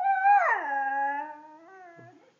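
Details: A male Siberian Husky "sings", howling with a high held note that slides down into a long, lower tone.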